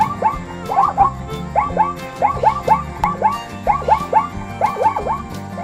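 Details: Zebra neighing: a rapid run of repeated, barking yelps that rise then drop, grouped in quick clusters about twice a second. A steady background music bed plays underneath throughout.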